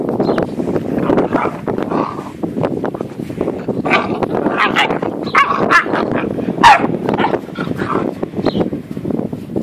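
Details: Great Dane puppies, 8.5 weeks old, from a litter of two males and three females, recorded outdoors on 4 June 2014; a busy run of short yips, whimpers and high barks overlapping one another, with rustling in the background.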